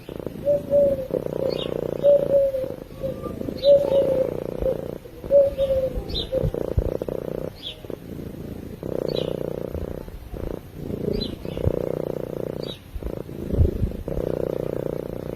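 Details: Cat purring in its sleep, a deep continuous vibrating hum in rhythmic swells separated by short breath pauses; faint distant birds chirp now and then behind it.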